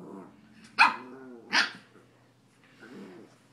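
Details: Puppy playing roughly with a cat indoors: two short sharp barks about three-quarters of a second apart, framed by low growly grumbles, then a softer grumble.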